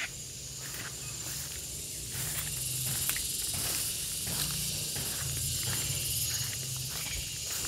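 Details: Gareng pung cicada calling with a steady, dense high-pitched buzzing hiss that runs unbroken through the clip and grows slightly louder after two seconds. Low rumbling noise sits underneath.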